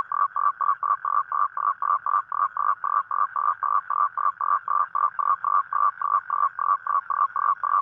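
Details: A toad's night call to attract a mate: quick, buzzy croaks repeated about four times a second, regular and sustained, against otherwise quiet surroundings.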